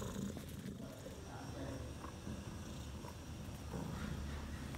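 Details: Bella, a house cat who gave birth to four kittens, three males and one female, six hours earlier, purrs in a low, even, continuous rumble with slight swells in loudness and soft background rustling.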